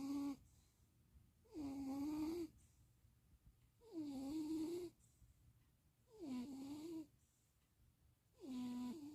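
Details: Stevie, napping in Austin, Texas on 2026.04.07, snores in regular rhythm: four full droning breaths plus a clipped one at the start, each a reedy tone bending up or down, with calm quiet between.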